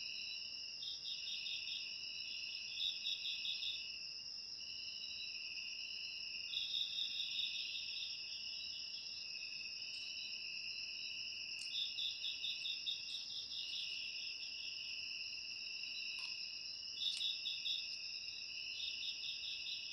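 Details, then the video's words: Clean chorus of crickets: a constant shrill trill with short groups of rapid pulsed chirps returning every few seconds, plus a few faint clicks. "Suara Jangkrik"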